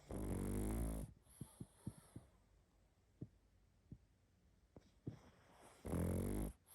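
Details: A sleeping pug snores loudly: a long rattling snore opens, followed by a string of short clicking snorts in the quiet pause, then another long, harsh, rumbling snore at the end.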